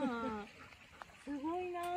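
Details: Golden Retrievers Kohaku and Ibuki out on a walk with friends who came to visit on the afternoon of the 29th; two drawn-out whining tones, the first falling, the second rising and held, with faint voices nearby.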